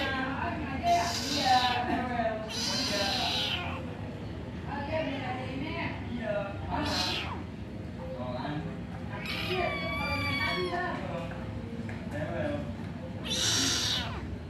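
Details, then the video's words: Angry kitten left alone while its mother has briefly gone, meowing loudly: several harmonic, wavering cries of about a second each, some strained and harsh, spaced irregularly over a constant low background hum. "suara anak kucing marah..!! mengeong keras di tinggal ibu nya"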